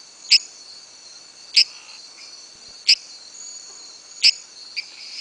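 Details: Advertisement calls of Dendropsophus microcephalus: short, sharp high-pitched clicks or creaks repeated roughly every 1.3 seconds, with faint insect-like background buzz between calls.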